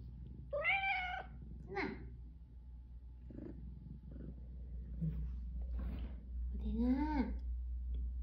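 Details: Rescued stray cat from a mother-and-daughter pair that lived seven years in Haeundae, one with bones healed crooked after a traffic accident. Two drawn-out rising-falling meows, the second lower and rougher, with soft talking and room hum between.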